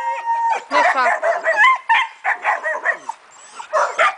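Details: German Shepherd named Leon giving a rapid run of high, wavering yips and whines, one after another with only brief gaps, a short pause near the end before a final burst.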